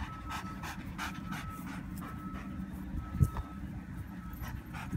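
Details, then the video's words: Dog during bite training, panting in a steady rhythm of about three breaths per second, each breath a soft breathy rasp, over a constant low hum and a faint thin tone. "Some bite training with my dog"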